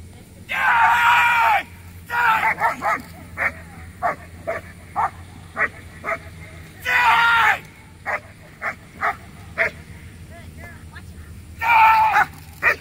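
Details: Letty von Prufenpuden, a 15-month-old black German Shepherd, in a P1 protection routine at a Working Dogs of America Protection Dog Competition. Sharp barks come in irregular clusters between three longer, louder noisy bursts over a low background hum.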